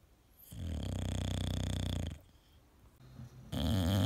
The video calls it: My Cute Dog Snore Compilation, English bulldog